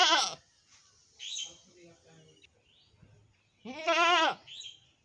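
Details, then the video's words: Black goat bleating twice: a short harmonic bleat at the start and a longer, wavering, nasal bleat near the end, with softer murmuring sounds and faint rustle in between. "Cute Goat sound"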